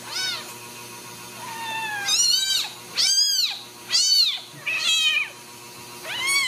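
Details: Cage-free Ragdoll kittens at a central Kansas home cattery mewing loudly and often: a run of six or seven high, bright, arching cries about a second apart, some overlapping, over a low background hum.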